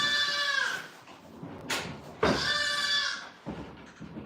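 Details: Goat bleating on a farm: two long wavering bleats with rich stacked harmonics, the second starting abruptly after a short pause, followed by a brief softer cry near the end.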